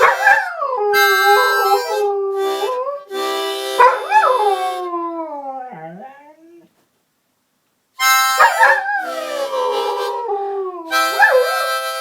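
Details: Pet collie howling along to a harmonica played indoors; wavering, sliding howls with harmonics, rising then falling, mixed with bright sustained harmonica chords, a brief pause near the middle before howling and harmonica resume together.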